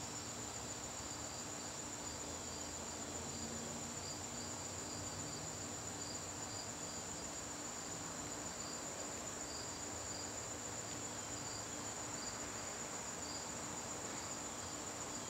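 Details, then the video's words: In a garden during September evenings, crickets keep up a clear, high, continuous trill. A second row of evenly spaced pulsing chirps sounds beneath it. The background is a quiet outdoor hiss. "garden crickets"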